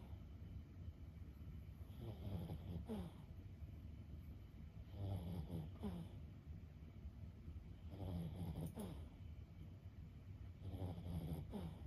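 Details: Senior Boston Terrier Lulu, 15 years old, sleeps with soft, low snores every three seconds or so, gentle and rumbling over a steady hum.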